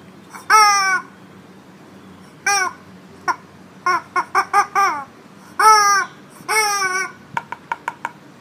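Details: Husky named Indi indoors, quarrelling with a chicken toy that tries to steal its blanket: a series of short, harmonic whining yowls with bending, falling pitch in separate bursts, ending in a quick run of chopped yips.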